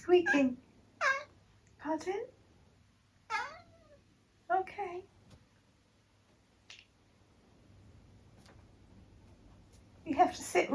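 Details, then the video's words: Tabby cat Eric, described as squeaking while sitting on a piece of paper indoors, makes a run of short, chirpy meows and squeaks, roughly one per second, then pauses and resumes with a louder burst at the end. "conversational cat clips"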